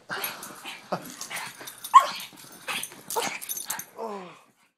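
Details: A pug giving short, rough barks and growly yaps in quick irregular bursts, ending with a whiny falling whimper, in a small indoor space.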